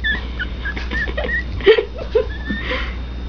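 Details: Pomeranian puppies, two young indoor pets, making soft high squeaky whimpers and tiny yips scattered irregularly, a couple of sharper yelps in the second half, over steady low household hum.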